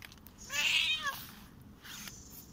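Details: A single loud, drawn-out meow from a Korat cat at play in an autumn garden, rising then sliding down, rich in harmonics, followed by soft rustling.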